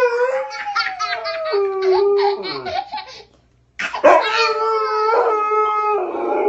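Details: Pet dog howling in response to a child's howling: steady, wavering tonal howls with rich overtones, mixed with pulsed, laughter-like child vocalising, a short silence near the middle, then a loud howl resuming and holding steady.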